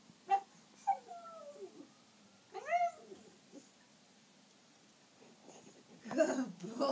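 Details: Miniature Schnauzer howling at a passing ambulance indoors: short rising-falling wavering howls with clear harmonics, one near the start, a longer one around three seconds, then a harsher noisy burst near the end.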